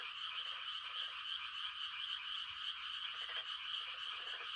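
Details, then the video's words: Rice-planting-season frogs on a quiet country night, giving mating calls: several bursts of quick, rattling, pulsed croaks rise and fall against a continuous high, buzzing chorus of many more frogs. "The sound of frogs on a quiet country night"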